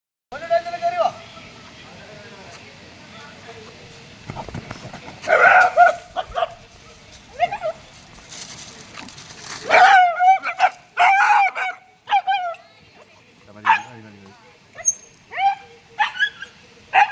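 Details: Dog caught in a pig trap, crying out: sharp, high yelps and whines in bursts, mixed with people talking loudly nearby during the rescue.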